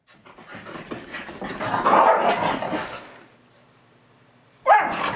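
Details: Keeshonds playing at home right after a long walk: a rough, rising growling and grumbling for about three seconds, a quiet pause, then a sudden sharp bark.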